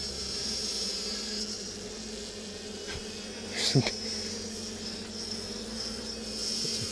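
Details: Western honey bees in a small colony kept in three stacked 5-frame medium supers, loudly upset during a September 2024 hive inspection after a few were squished by a tight frame; steady droning buzz, low hum with a higher whine, a brief knock midway.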